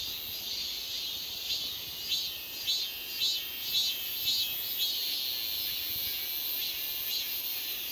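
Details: Cicadas buzzing: a high, hissing drone that swells and fades in a regular rhythm, with pulses roughly every half second and no other clear sounds.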